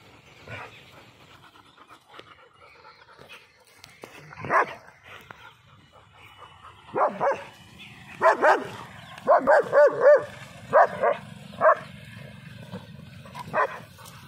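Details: Dog giving short, sharp yelping barks mixed with high whining, scattered early then bunched into a rapid run of four or five yelps around the tenth second, with quieter whimpers between bursts.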